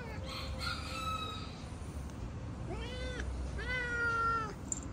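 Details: A male house cat in fighting mode on seeing other cats utters a string of long, tense meows: one held flat, then two rising-and-falling wails, over constant low background noise.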